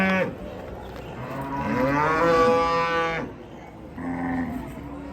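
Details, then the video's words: Raging cattle from a compilation of agitated cows: one long, loud, harmonic moo swells for about three seconds, then fades, followed by a shorter, quieter lowing call. "SAPI NGAMUK"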